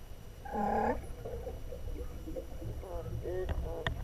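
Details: Harp seals beneath the sea ice, adults gliding underwater while pups rest above; a strong harmonic call slides downward, then a run of shorter wavering, warbling chirps follows over a steady low rumble.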